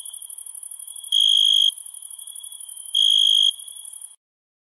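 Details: Crickets at night give two sharp, ringing trilled chirps about 1.8 seconds apart over a thin, high insect chorus, and the sound cuts to silence after about four seconds.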